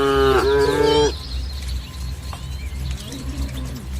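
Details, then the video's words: Dozens of tame village cattle grazing among green, ripening rice fields in soft morning sunlight; one steady, low-pitched moo lasts about a second, then fades into a quieter background with faint bird chirps. "Suara Sapi Moo"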